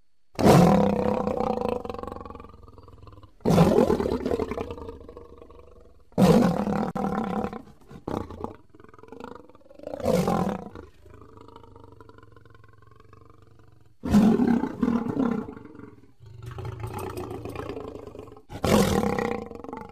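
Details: A lion gives deep, rasping roars in loud bursts, each followed by lower rumbling grunts, recorded in July 2016.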